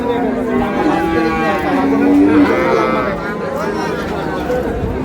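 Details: Cattle at Ambari market, where dairy cows and calves are being bought and sold, mid-April: a single sustained low moo lasting under a second, steady in pitch, heard amid constant murmuring of traders.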